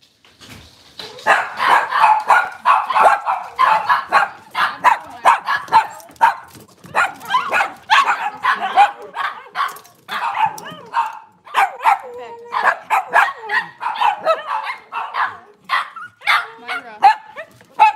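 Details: Cavalier King Charles Spaniel at a breeder's kitchen camera, cloudy Monday morning; rapid, continuous yappy barking and yips, dense and excited, sometimes overlapping as if more than one dog, with brief gaps around eleven seconds.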